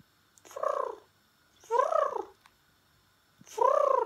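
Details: Pembroke Welsh Corgi vocalizing in three separate arched calls, each rising then falling and lasting about half a second, spaced roughly one to two seconds apart, with quiet pauses between.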